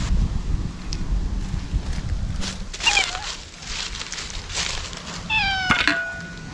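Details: Stray ear-tipped cats cry out at a feeding spot, eating warily. A short meow sounds midway, then a loud, clear, harmonic meow that rises and falls near the end, over a steady low rumble.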